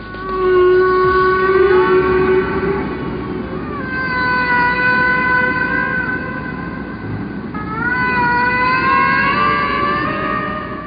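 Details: Humpback whale song: long, drawn-out tonal moans and rising and falling whistles, rich in harmonics, rhythmic sequences of long sounds repeated; recording first heard in a ship's engine room in Bermuda.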